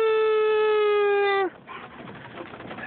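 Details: A male German Shepherd, who loves car rides, howls along with his owner in a steady, clear howl that dips slightly in pitch before breaking off.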